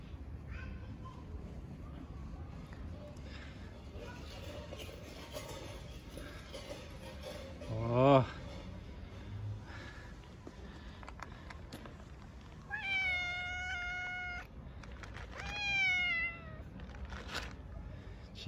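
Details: Hungry stray cats on a cold winter day, begging loudly for food from the person who feeds them. Two strong, stretched meows come late, following scattered background noise, while a man softly calls the name Chico several times.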